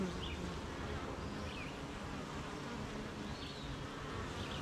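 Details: Honey bees at a beehive on a rainy morning, busy making honey near gardens, farms and fields: a steady, dense low hum of many wings fills the recording, with faint short chirps from birds drifting above it.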